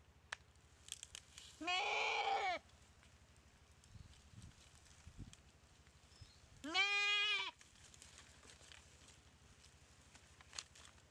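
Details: Goat bitten and paralysed by a Komodo dragon in the dry river of Komodo Village; two short, quavering bleats about five seconds apart, with faint rustles and low hum between them.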